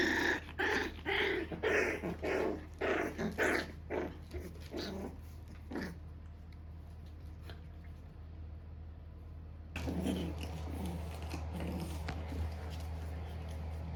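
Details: Standard Shiba Inu mother telling off her puppy, which reacts wearily; rapid pulsed growls and grumbles for about six seconds, then near quiet, then louder rustling noise with faint low hum.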